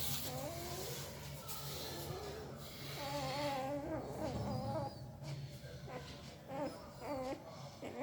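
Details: Sleeping puppy making odd mouth noises: soft, wavering whimpers that rise and fall in short, warbling bursts over a steady low hum and faint room noise.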